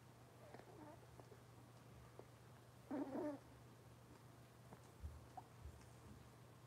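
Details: Cavalier King Charles Spaniel puppies from Robin's litter, indoors on a kitchen camera livestream; one short, wavering, harmonic whine lasting about half a second, followed by a few faint squeaks over a steady low electrical hum.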